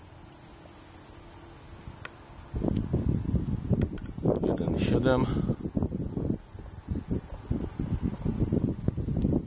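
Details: Crickets keep up a steady, high, thin trill, louder than a small home wind turbine, on a sunny day after night rain in Bukowina Tatrzańska in the mountains, while a man talks over rumbling wind.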